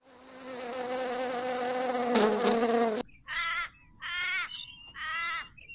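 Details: Wasp buzzing in nature: a steady, droning hum with strong overtones lasting about three seconds, swelling slightly, then followed by three short, harmonic, nasal calls from another animal.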